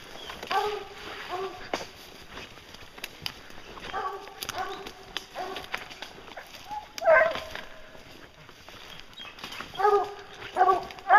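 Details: Hounds bear hunting, their bays heard fainter and more scattered, short harmonic yelps in small clusters separated by quieter stretches, with rustling and clatter between calls.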